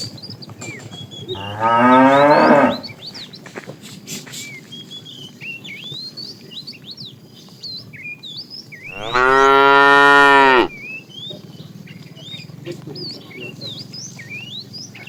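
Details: ['Two drawn-out, rich moos from a fat cow calling the female while a tame herd is herded in the afternoon, with steady bird chirps and twittering behind.']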